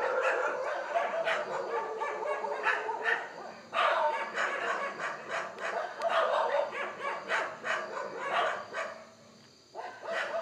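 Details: Indian wild boar filmed in dim light with a Canon Handycam, making a steady stream of rough, nasal squealing grunts in rapid pulses, fading briefly near the end before resuming.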